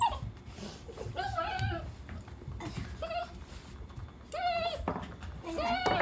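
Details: Miniature Schnauzer and American Cocker Spaniel during a relaxed morning at home; high, wavering whines and squeaky yelps in short bursts, some sliding up and down, with a person talking in between.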